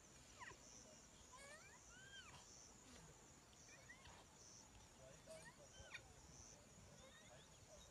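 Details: A baby rhinoceros gives thin, squeaky rising and falling squeals, apparently trying to wake its dead mother.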